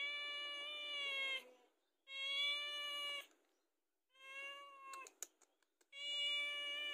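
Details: Indoor house cat asking to be fed: four long, level, strongly harmonic meows about a second each, with a few sharp clicks in one gap.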